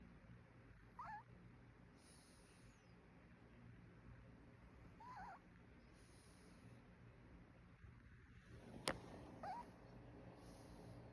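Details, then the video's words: Mongsil, a Yorkshire Terrier, sleeping soundly while visiting the big sister's home, snores in a soft rhythm: a short whistling squeak roughly every four seconds alternates with breathy hisses, with one sharp click near the end. "세젤귀 코골이 몽실"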